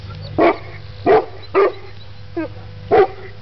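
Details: Mastiff puppies, 11 months old, playing with a horse: five short, deep barks spaced about half a second to a second apart, with a quiet steady hum underneath.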